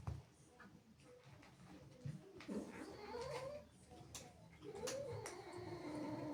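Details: Domestic female cat indoors, angry and jealous after playful kittens enter the house: drawn-out, wavering, moaning yowls rising and falling in pitch, repeated with short breaks, over faint room noise and soft clicks.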